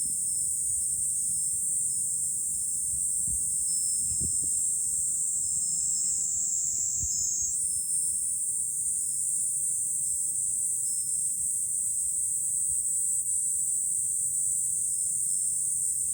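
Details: A July cicada chorus heard from a high lookout above Fukuoka city, Japan. A continuous, high, hissing drone holds steady and lifts a little in pitch partway through, with a soft wind rumble and a few thuds beneath.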